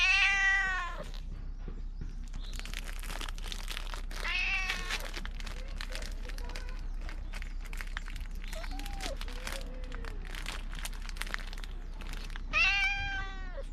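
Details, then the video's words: Stray cat along the Fukugi tree avenue at Bise, Okinawa, calling out loudly as if telling something, GoPro 9 footage; three arched meows at start, middle and end, with clicking, rustling and scuffing noises in between. "備瀬のフクギ並木で見た大声で何かを訴える猫-cat that tells something loudly in a bise lined tree"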